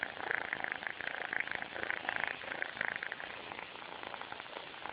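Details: Djidji, a sleeping kitten, snores loudly: a dense, crackly, purr-like rasp in quick pulses, steady through the whole stretch, with no other clear sounds.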